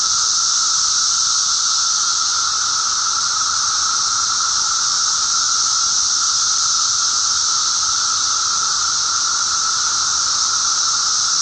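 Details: Eastern North American periodical cicadas emerging en masse, recorded May 19, 2011: a steady wall of shrill, hissing sound with a lower humming tone beneath, unchanging across the whole stretch.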